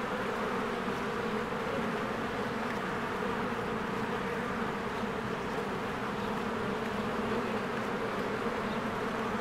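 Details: Spring beehive with many honeybees coming and going from the entrance: an unbroken, even buzz with a layered hum and no clear pauses or other sounds.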